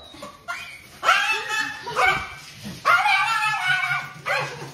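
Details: Dog in a funny pet compilation giving a series of loud, harmonic, slightly whiny barks about once every second, each falling in pitch, with people speaking and laughing and faint music behind.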